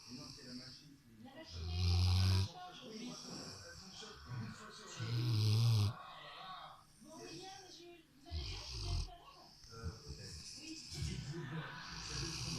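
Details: Rottweiler settled on a sofa, snoring: deep rumbling snores roughly every three seconds, each with a breathy hiss, while people talk quietly in the background.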